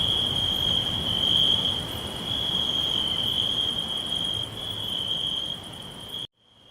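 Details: High steady cricket trilling fills a green forest, slowly weakening before cutting off abruptly near the end, leaving near silence with a faint returning trill.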